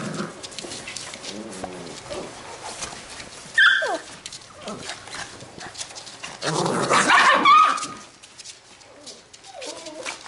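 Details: Labrador retriever puppies from a B litter playing together, giving two loud bursts of high, squealing yelps amid softer scuffling, growly play noises and quiet background sounds.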